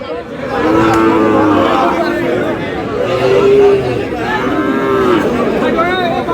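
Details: At Aftabganj market in Dinajpur, Sahiwal bull calves up for sale on 13 June as the market begins; repeated sustained moos roughly every two seconds, layered with other cattle calls and a murmuring crowd.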